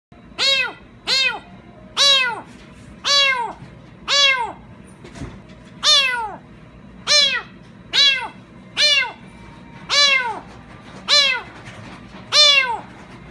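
A Ragdoll cat meows again and again, each call a short arched wail about once a second.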